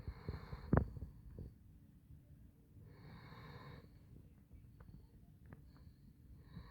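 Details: Handsome Jack, a Basset Hound, asleep: a sharp snort at the start, then long raspy snoring breaths spaced a couple of seconds apart, soft clicks between.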